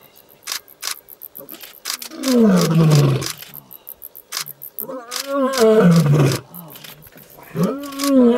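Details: Young male lion roaring in the African bush to let the area know he has arrived: three long, low moaning roars that swell and fall, separated by sharp clicks and faint background sounds.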